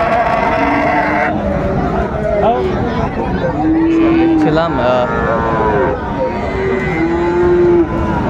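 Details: Friesian and cross-breed bull calves traded at Raniganj cattle market, Dinajpur, 26 December 2024: a few brief moos, then a clearer drawn-out one midway and another near the end, set against busy market talk.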